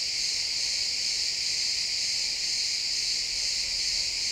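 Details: Crickets chirping in a pine forest at sunset, captured with an XY stereo microphone. A dense, steady high-pitched shimmer with no pauses, many insects blending into one unbroken band of sound, and no other clear noises.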